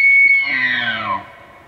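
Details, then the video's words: Elk bugling during the rut, filmed in Pennsylvania or the Canadian Rockies: a loud, piercing high whistle that slides gradually downward and fades out over less than two seconds. "Elk Bugling Compilation During the Rut"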